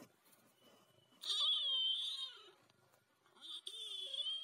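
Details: A talking ginger cat gives two strained, whiny meows, the first about a second long and wavering, the second shorter and rising, indoors with little background noise.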